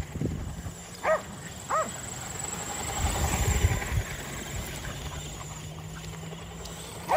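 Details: Kerry Blue Terriers, five dogs, chasing an E Revo remote-control car during home exercise; sharp, bright barks at about one and almost two seconds, with a steady low vehicle hum and rough background rumble throughout.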